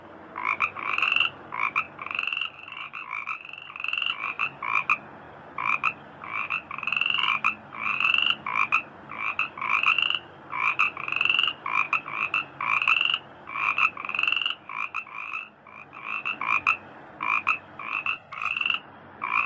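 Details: Frogs calling in rice fields, giving short harsh croaks in quick clusters, each a buzzy double-toned note, repeated steadily with brief gaps throughout; several callers overlap against a quiet background.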